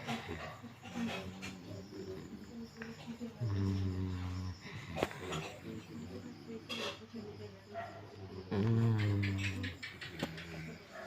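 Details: Golden Retriever asleep, giving two low, buzzing snores several seconds apart, mixed with faint breathing noises and a person speaking German softly nearby.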